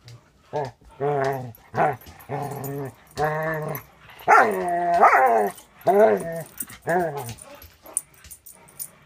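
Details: Two dogs at play, one a 6-month-old Border Collie mix in foster care with a Wisconsin rescue; a series of drawn-out, moaning, growly yowls, roughly one per second, some rising and falling in pitch, with short quiet gaps.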